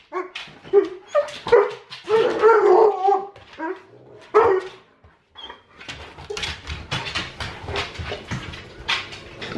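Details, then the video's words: Alaskan Malamute begging for food at feeding time indoors: a rapid run of yelps, woofs and whining vocal bursts in the first five seconds, then quieter scuffling, clicking and rustling with brief higher squeaks. "Hungry Alaskan Malamute!"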